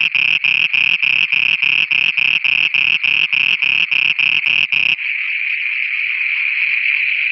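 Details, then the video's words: Night chorus of frogs in Pakistan, with rapid buzzy pulses repeating roughly three times a second for five seconds, then giving way to a continuous unbroken high drone. "Frogs singing at night"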